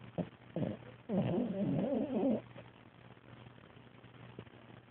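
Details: French Bulldog snoring, recorded 11 December 2010: a raspy, wavering rumble lasting over a second, preceded by two short snorts, then quiet steady breathing with a faint low hum.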